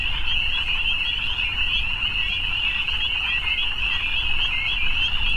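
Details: Evening frog chorus: a dense, unbroken high trilling wall of many overlapping callers that holds steady throughout, over a low rumble.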